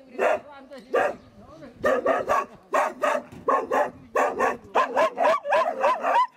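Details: Hunting dogs of a local hunters' club in Tokushima, Japan, resting before going out to cull wild boar; short harmonic barks and yelps come in quick bursts, several per second, with brief gaps between volleys.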